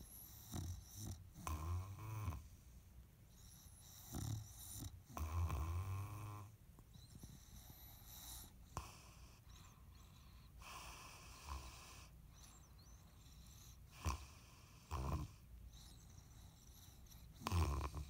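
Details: A female English bulldog snores through her toy in loud, rattling, low bursts separated by quiet pauses.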